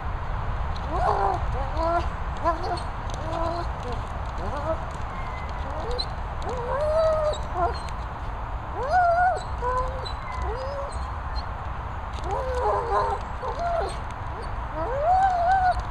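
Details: German Shepherd dogs, toy-mad, at a training and boarding kennels in the Worcestershire countryside; repeated high rising-and-falling whines and yelps, some squeaky, scattered through the recording over a steady low rumble.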